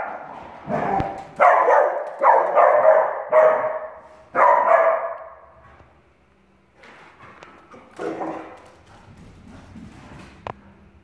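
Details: Two Dachshunds play and chase each other in the house, giving a quick run of sharp, loud barks, then quieter yips and grumbles.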